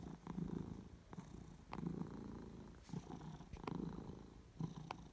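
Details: Pet cat purring, recorded on 22 May 2018. A continuous low throaty vibration rises and falls in rhythmic waves about once a second, with soft clicks and rustling between breaths.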